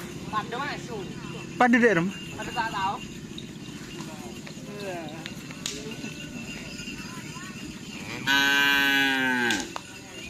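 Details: Cattle at Karapan Sapi bull-race training on the Asemanis field in Pamekasan, prepared for an event after Ramadan. A single loud, drawn-out moo lasts just over a second near the end and dips at its close, over steady crowd chatter and voices.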